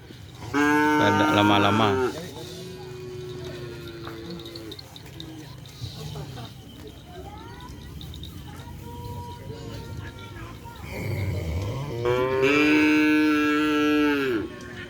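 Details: Madura cattle, new racing bulls brought for a first kerapan sapi training run at the Asemanis field; two long, steady, harmonic moos at the start and end, with low rumble and faint voices between.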